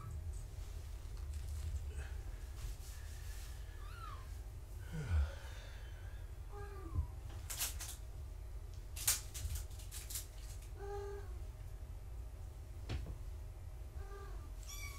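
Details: Gaia's young foster kittens indoors before a weight check mew in brief, thin bursts scattered through the stretch, mixed with sharp clicks and rustling from handling and a constant low household hum.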